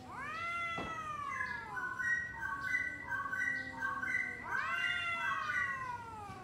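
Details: Two domestic cats talking before a fight: long drawn, wavering yowls with rich harmonics, one voice gliding down while the other answers in stepped, wobbling notes, then a fresh rising howl near the end.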